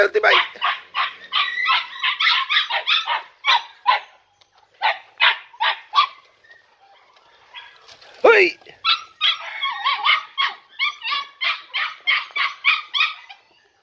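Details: Podenco Andaluz puppies, three and a half months old, among four littermates let into a training enclosure for the first time. Rapid runs of high, sharp yelping barks, a brief pause, then another fast burst of repeated yelps.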